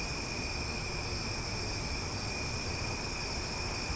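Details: Night-time summer cicadas in Omaha sing loudly, a steady, droning high buzz that never breaks, multiple constant tones over soft low rumbling noise.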